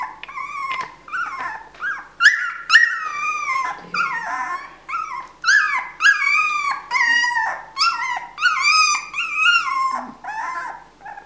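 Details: Female Siberian Husky puppy born 31 December 2016, at a kennel, giving a run of loud, high whining yelps, each rising then sliding down, about a dozen in eleven seconds with short gaps between, plus a few softer whimpers.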